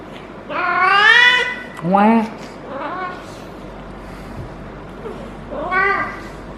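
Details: Feral female cat caterwauling during her first heat, rolling while a person strokes her lower back. A long, loud, yowling wail bends upward, followed by shorter moaning cries and a final mid-length howl.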